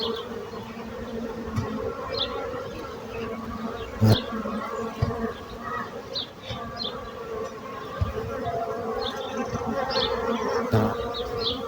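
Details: A continuous low buzz of bees, droning evenly throughout, broken by a few sharp knocks and thumps, with scattered faint high bird chirps behind.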